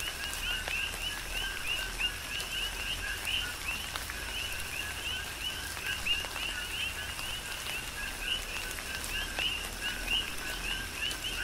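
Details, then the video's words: Big Island, Hawaii: coqui frogs serenading in tropical rain, a rhythmic chorus of paired notes ending in quick upward whistles, some calls louder and nearer, with rain pattering and sharp drip sounds throughout. "Tropical Rain & Coqui"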